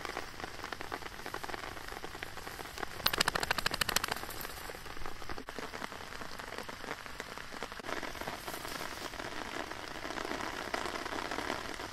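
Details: Steady patter of rain on a surface fills the recording, with a denser burst of drops around three to four seconds and no animal voice.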